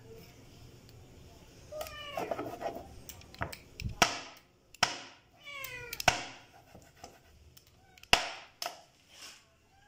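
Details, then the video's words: Hungry stray kittens while eating food, giving several clear meows with falling harmonic tones around the two-second and six-second marks, mixed with sharp clicks and taps, faint human voice in the background, indoors. "Hungry Stray Cats kittens eating food"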